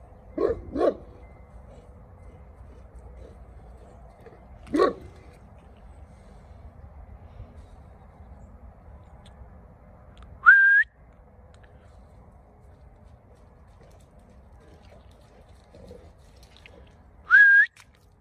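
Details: Neapolitan Mastiff Sibilla II, European Champion 2019: a pair of short barks near the start and one more around five seconds, then two rising, whistle-like whines near ten and seventeen seconds over a quiet low hum.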